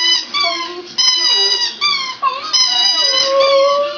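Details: A pet Border Terrier, aged two, howls inside a home, newly able to do so. Several sliding, tremulous howls run close together, some dipping lower and then climbing, with hardly any gaps.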